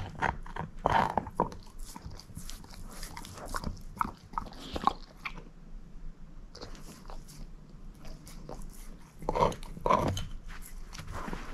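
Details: Moose, a female shepherd mix dog, crunching a bone: dense rapid cracks and clicks of biting, a brief quieter pause midway, then strong renewed crunching near the end, with no voices.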